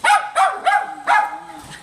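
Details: Teddy the Silky Terrier barks four times in quick succession, high, sharp and evenly spaced, then trails off into a softer whine.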